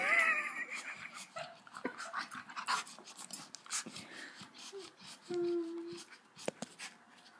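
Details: Golden Retriever puppy acting dramatic indoors, giving high, wavering whines at the start, then quieter scattered sounds and a short low tonal cry near the end, with faint speech in a small room.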